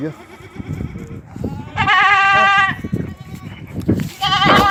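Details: Goat on a farm in Ajmer, Rajasthan, India, letting out a long, loud, vibrating bleat, then a second shorter one at the end, with scuffling and low murmur between.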